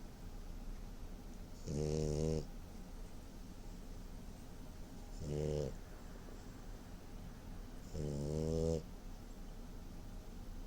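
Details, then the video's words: French bulldog snoring while asleep indoors: three loud, rasping, harmonic snores, each about a second long with a hissing edge, spaced roughly three seconds apart over a quiet background. "French bulldog snoring"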